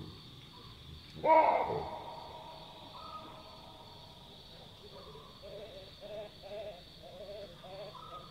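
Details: A loud, explosive alarm bark from wild Chacma baboons at night in the African bush, a call typically given when a nearby predator alerts them, followed by a run of quieter wavering grunts and squeals amid night insects.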